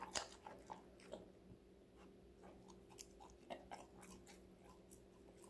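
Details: Connie, a five-month-old female Golden Retriever, bites and chews assorted vegetables; sparse crisp crunches and clicks stand out over a quiet steady hum, with louder bites near the start and around three and a half seconds.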